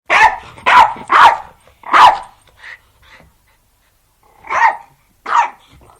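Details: Jack Russell Terrier at play, giving a series of sharp, loud barks: four quick ones in the first two seconds, a brief softer yap, a pause, then two more spaced barks near the end.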